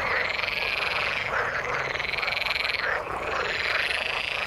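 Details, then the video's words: Frogs calling in the water: a buzzy, finely pulsed trill held over dense croaking, with a brief dip just before the third second before the chorus resumes. "Frog sound in the water"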